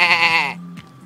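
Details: Sheep in Crete answering with a bleat when asked to say hello: one loud, wavering, nasal bleat about half a second long, dropping slightly in pitch, followed by a faint low hum and a brief noise.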